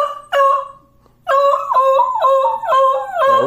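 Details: Asked whether he wants to go to Grandma's, a beagle answers with a short yelp, then a loud, wavering howl broken into quick yodelling pulses.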